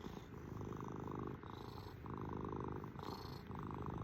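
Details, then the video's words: Domestic cat purring up close indoors: a steady low rumbling buzz that swells and dips with each breath, shifting phase roughly every second, with no other sounds. "KITTY CAT PURRING MACHINE!"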